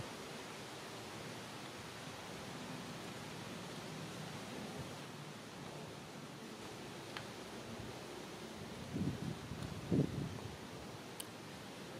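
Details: Steady broadband rustling and wind-like noise with a few faint thumps and handling sounds, no animal voice heard.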